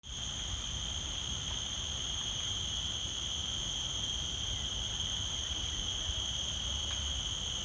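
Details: Forest insects in a dense, unbroken chorus: several steady, high-pitched whining tones hold level throughout, layered over a soft low rumble.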